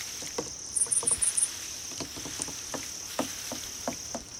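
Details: Grass insects described as crickets, used to draw a cat's attention: five quick high chirps sit over a constant shrill trill, with irregular light tapping and clicking noises around them.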